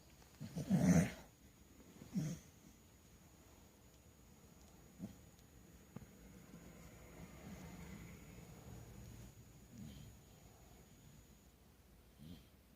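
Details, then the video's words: Bulldog snoring indoors while a kitten chews its ear: a loud, low, rough snort opens, followed by a softer one and then faint breathy snores spaced several seconds apart over a thin steady high tone. "Bulldog snoring"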